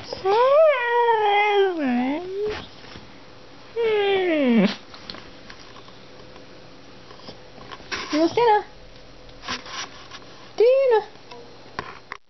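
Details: Excited dogs at dinner time, being wound up before their meal, give wavering, yodel-like howls with rapid pitch wobbles, a long swooping cry, then scattered short yelps and one final rising-falling wail, with indoor room sound between.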